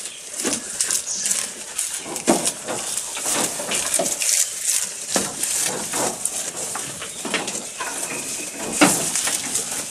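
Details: Feeding goat recorded close, crunching mouthfuls in rapid clusters of dry clicks and tearing noises, a loud snap near the end, steady hiss behind.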